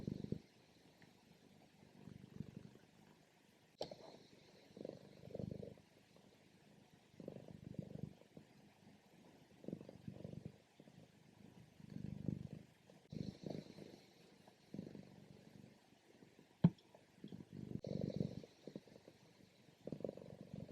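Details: Female cat sleeping through her morning nap, low rumbling purrs and snores coming in steady bursts about every one to two seconds, with faint breath hiss between them.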